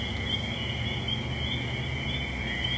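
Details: In spring woods by a small lake, a Fowler's toad gives a steady, nasal buzzing call, puffing out its throat, amid a chorus of spring peepers and other toads.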